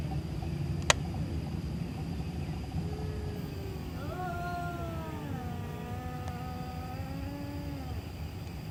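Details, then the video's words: Cat making spooky noises in the middle of the night: faint low moans, then a loud quavering yowl that rises and slowly slides downward, wavering, over a strong low rumble of traffic or engine noise. "Cat Making Spooky Noises Middle Of Night"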